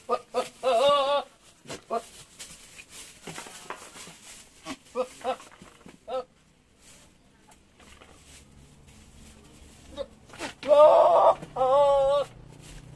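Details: A young Javanese goat just coming into heat gives long, wavering, quavering, alien-like bleats that sound almost like crying, with small females nearby.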